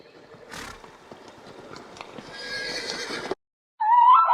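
A horse gives a high, quavering whinny after a stretch of rough, breathy noise.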